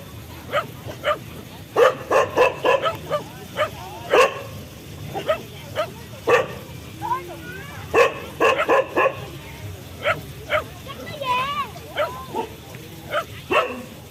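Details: Dogs from a funny compilation barking repeatedly in quick irregular bursts, with high wavering whines or squeals between barks and some background voices.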